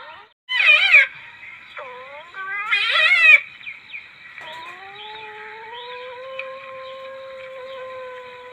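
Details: Palm civet lure call: two loud, harsh, warbling yowls about two seconds apart, a quieter wavering cry between them, then a long, steady, drawn-out tone rising slightly in pitch.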